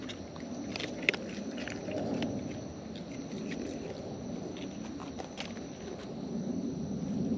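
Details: Wild raccoons feeding close up, their eating heard as irregular crunchy clicks, smacks and bites scattered over a steady low outdoor rumble, with one sharp snap early on.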